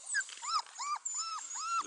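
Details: Four-week-old Beauceron puppies in a kennel give high, arching whines, each rising then falling, about five in quick succession with brief gaps between them.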